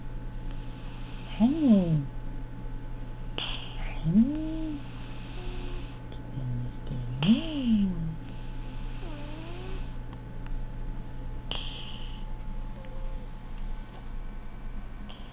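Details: Ginger tabby kitten snoring because of a cold: raspy, breathy bursts come roughly every four seconds over a steady low hum, with a few thin, swooping tonal whines in between.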